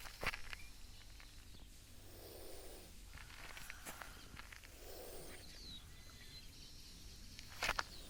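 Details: Small chameleon hissing in defence after being provoked: two soft, breathy, rushing hisses, each about half a second long, a few seconds apart, over steady outdoor background noise with scattered clicks and rustles.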